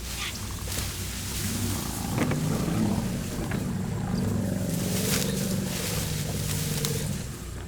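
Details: A furious young African elephant, attacked by a lone lioness that may be protecting hidden cubs, gives a long, harsh, low-pitched trumpeting blare over the steady hum of a tourist vehicle's engine.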